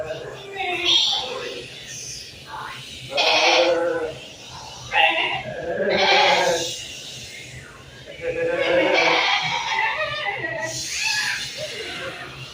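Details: Goats bleat in wavering, nasal bursts over a steady rush of wind on a lush hillside with sage.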